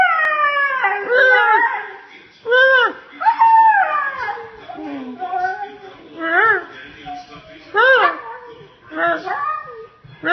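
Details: Molly, a pet husky, yells in a human-like way indoors: a run of drawn-out, rising and falling tonal whines and yelps in uneven bursts, with short pauses between phrases, followed by a person speaking.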